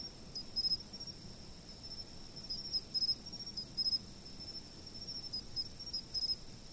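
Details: Insect chorus from a fixed outdoor spot: an unbroken shrill high trill, with clusters of quick chirps in short groups of three or four, repeated irregularly.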